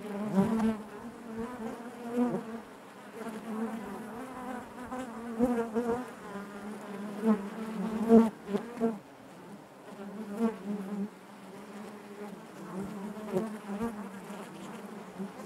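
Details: Steady low drone of a honey bee colony inside its hive, layered wingbeat harmonics rising and falling, with frequent louder buzzing bursts from bees passing close, strongest near eight seconds.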